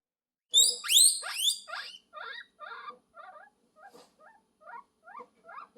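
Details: Guinea pig calling for love: two loud, high, rising whistled squeals open, followed by a run of shorter, softer rising chirps repeated about every half second, getting quieter toward the end.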